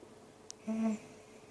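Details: Dog fussing after a sneeze, giving one short, nasal, level whine lasting about a quarter second, indoors in a quiet room.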